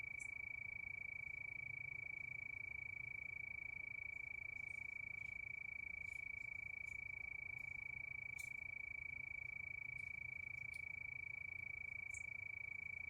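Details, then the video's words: Nighttime crickets in a steady chorus beneath the moon, giving an unbroken piercing trill with fast, even pulses, a low background hum and scattered faint high ticks. "Sound of Crickets"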